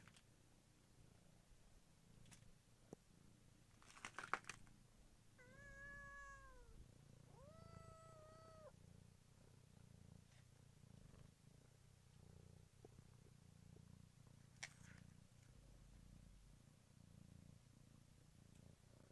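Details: Kittens in a village, a short pair of rising-then-falling meows in the middle, with soft rustling, handling knocks and low background rumble; recording quality is poor.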